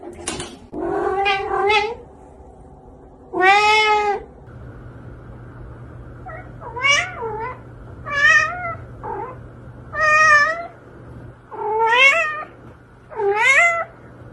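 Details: Domestic cat, one of several ranked as funny, indoors: a series of about ten wavering, warbled meows, some short and some drawn out, spaced one to two seconds apart over a faint steady hum.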